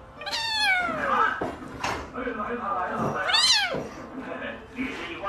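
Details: Domestic cat meowing indoors: a sharp, high falling meow, then a second rising-and-falling cry about three seconds later, with a person talking softly in a small room.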